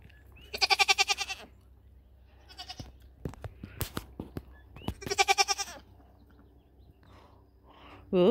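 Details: Nigerian Dwarf dairy goats on New Year's Eve, a doe near a buck for the first time for breeding; two loud wavering, pulsed bleats about four seconds apart, with clicks and rustling between and a woman's voice briefly.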